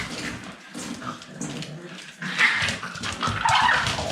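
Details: Staffordshire Bull Terrier puppies making squealing whimpers and short grunting yelps, with bursts of shuffling and rustling as the pups move about.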